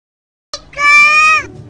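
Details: Baby cat giving one clear, steady meow that lasts almost a second after a short sharp onset. The tone is bright and evenly held, then it stops cleanly in a quiet setting.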